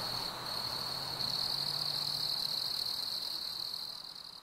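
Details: A steady, unbroken high-pitched cricket trill on a warm summer evening, swelling slightly in loudness midway, with a faint low hum underneath.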